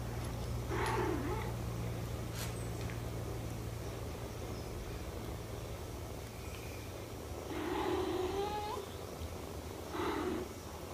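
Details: While a mother cat nurses her kittens, a soft mew sounds near the start, a longer rising mew follows later, and a brief final call comes after it, all over a constant low hum.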